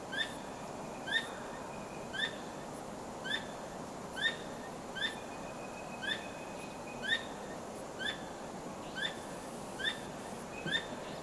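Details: A squirrel calls at night with sharp, clicking chucks repeated steadily about once a second, wagging its tail constantly; it was checked and found not trapped. Calling like this at night is rarely heard.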